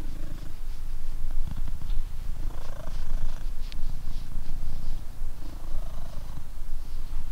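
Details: Coco, a blue British Shorthair cat, walking after a meal, purrs in a steady low rumble throughout, with faint higher chirping sounds in the background.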